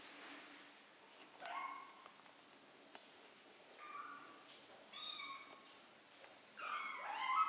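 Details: Three-week-old kittens learning to walk; four short, faint, high mews spaced across the recording, the last louder and wavering, over quiet room background.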